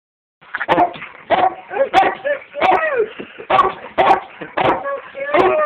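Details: Border Collie Frank, wedged into a bird seed bag, barking while being photographed indoors; a steady series of short, sharp, harmonic barks comes roughly every half second, around ten in all, with possible faint voices.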